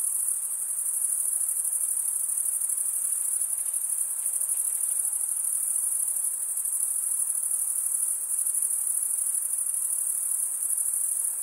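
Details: Stridulating male crickets produce a dense, shrill buzzing chorus held at one very high pitch without pause. The level stays constant throughout and nothing else is audible.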